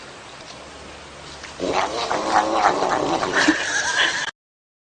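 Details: Domestic cat producing strange vocal noises: after a quiet start, a rough, throaty run of yowling sounds begins, broken into uneven pulses with rising and falling harmonic tones, ending suddenly.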